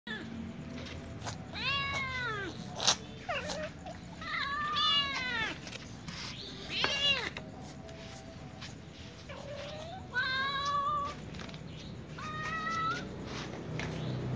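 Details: Several domestic cats, including a little ginger cat and a young white cat, meowing while asking for food; repeated harmonic meows with rising-falling arcs, about six calls over fourteen seconds, with clicks and background street noise.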